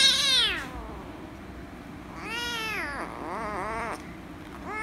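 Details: Loud meowing from an angry rescue kitten as it is petted: a descending cry, then a long wavering drawn-out meow with a second wobbling call, and another beginning at the end.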